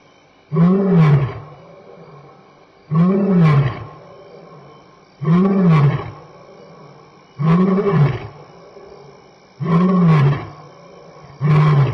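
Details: Roaring lion walking past Elephant Plains Game Lodge in South Africa at dusk, 6-7 PM, 26 May 2011, contact calling with return calls; a steady run of six deep, throaty grunts, one roughly every two seconds, loud and close.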